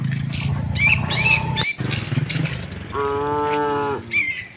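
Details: A single steady, flat moo of about one second from tame cattle walking with their herd to the shed, after a stretch of low rumbling and quick chirping bird calls.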